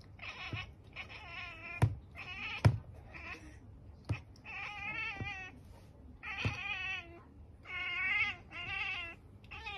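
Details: Pet cat watching a bird or insect, chattering in rapid, stuttering bursts of nasal, rippling chirps. It repeats them in runs every second or two, broken by sharp clicks and thumps.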